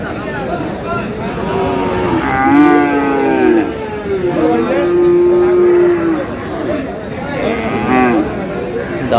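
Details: Bull calves of Friesian and cross breeds at Aftabganj market in Dinajpur, 22 July. Two long, drawn-out lowing calls, the second flatter and steadier, then a shorter moo near the end over a background of crowd voices.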